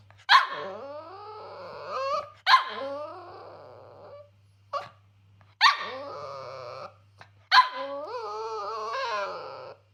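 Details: A Cavalier King Charles Spaniel protesting an unusually small breakfast indoors: four loud sharp barks, each drawn out into a wavering whining howl, roughly every two to three seconds.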